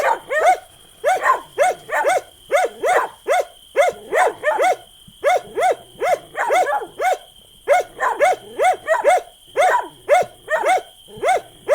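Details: Dog barking: sharp, mid-pitched barks delivered in rapid bursts of two to four, repeated steadily throughout, with short pauses between bursts and a faint constant high whine in the background.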